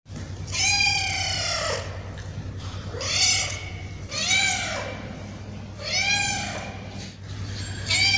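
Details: Hungry male and female street cats crying for food while being fed: four long, drawn-out arched meows, roughly one every two seconds, over a steady low electrical hum.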